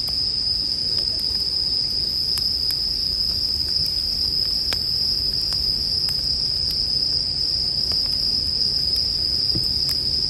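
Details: Bell cricket singing in a steady, unbroken high ringing tone, paired with a crackling campfire whose sharp pops and snaps break in every second or so, over a soft low rumble.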